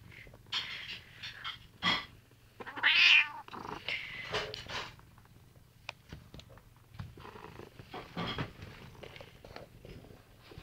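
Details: Domestic cat Sammy, indoors, refusing to give up a chair during a back-and-forth with its owner, answers with loud, drawn-out, bright meows and grumbling calls, followed by quieter rustling and short vocal bursts.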